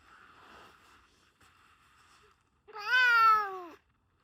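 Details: A domestic cat gives one loud, drawn-out meow lasting about a second, slightly falling in pitch with rich harmonics, after a couple of seconds of faint low murmuring background sound in a quiet indoor setting.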